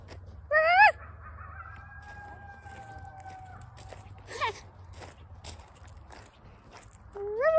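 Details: A coyote in the Grand Canyon gives rising yips and a long, steady howl over a low background rumble.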